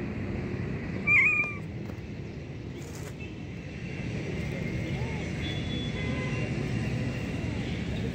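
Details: A hungry homeless black kitten gives one short, bright meow early on, followed by several seconds of steady low street rumble.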